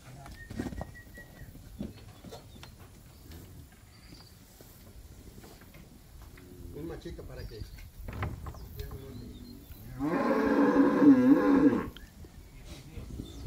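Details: Calf in Campeche, Mexico, 20 August 2022, during a rescue by a team of people: one loud, rich, wavering moo lasting about two seconds late on, preceded by quiet outdoor sounds, distant voices and a faint bird.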